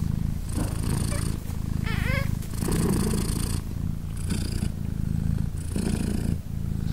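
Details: British Shorthair mother cat Polina purring beside her three 3-day-old newborn kittens as they nurse; steady low rumbling purr with breathy surges roughly every one and a half seconds, and a brief rising kitten mew near the two-second mark.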